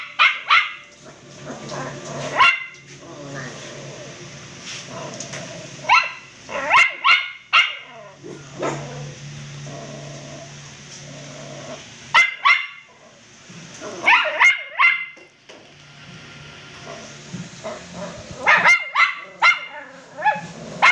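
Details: Crossbreed poodle puppies letting out sharp, high yappy barks in clusters of two to four, separated by quieter gaps with a low hum and faint background voices.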